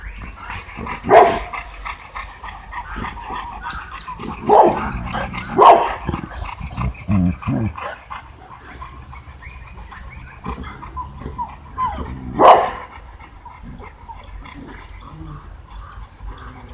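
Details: Big Boerboel mothers at playtime: a few sharp yelping barks burst out at irregular intervals between low grumbling growls, rustling and faint voices.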